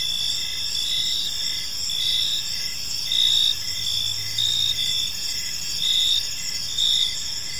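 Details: Park crickets at evening: a constant shrill insect chorus with stacked trilling bands, punctuated by slightly louder pulses about every second, plus a brief faint low hum in the middle.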